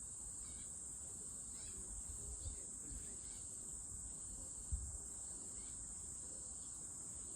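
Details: Constant shrill whine from a cicada, level and unchanging, with low rumbling noise and a couple of soft thumps in the background.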